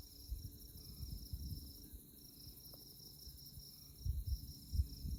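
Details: Night chorus of insects in the tallgrass of Konza Prairie near Manhattan, Kansas, under moonlight: continuous high pulsed chirps in even trains, briefly pausing, over a low rumble with a few deeper bumps.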